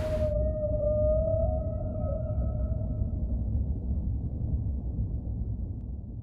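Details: Humpback whale giving a long, steady moaning tone that holds level for about two seconds, then slowly fades, with a fainter higher overtone above it, over a constant low rumble of ocean noise.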